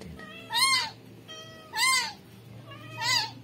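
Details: Newly born rescued kitten meowing three times, each cry a high, bright, bowed wail repeated roughly every 1.2 seconds, over a soft low background hum.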